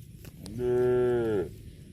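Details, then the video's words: A cow gives a single moo lasting about one second. The tone is rich and harmonic, holds a steady pitch, then dips slightly as it ends. A faint low rumble sits underneath. "COW MOOING"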